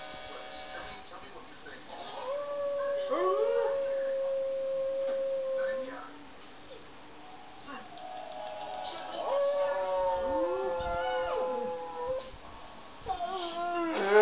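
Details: A dog howling at a laptop; long drawn-out tonal howls, some held steady and some sliding up and down, in several overlapping bouts, with faint background sound from the laptop.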